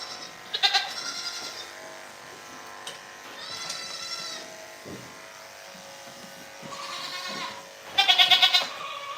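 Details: Goats bleating on The Willful Goat Farm & Home during a live stream: four tremulous, wavering bleats come in separate bursts, the last one loud and strongly pulsing, with quieter farm background between.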